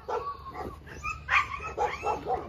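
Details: Draco, a red-nose American Staffordshire Terrier, lets out about five high, strained yelps and whines in quick succession over two and a half seconds, some rising then falling, above a low background rumble.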